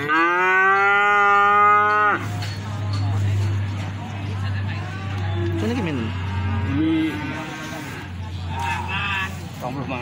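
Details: Young feeder cattle at the Plaosan market, Magetan, Indonesia: one long, strong, steady moo of about two seconds, then a low droning hum and a few quieter, wavering moos from other animals in the busy market.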